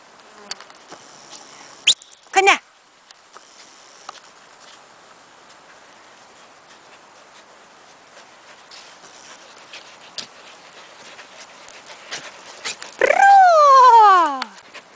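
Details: One of six Cardigan Welsh Corgis at a kennel sandpit in Sweden gives a high, sliding whine that drops sharply in pitch near the end.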